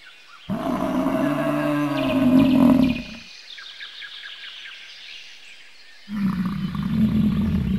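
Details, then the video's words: Bison giving a deep, rumbling roar of about three seconds, a pause, then a second long low bellow; faint bird chirps run through the quiet gap. "Bison sounds & What sounds does a Bison make?"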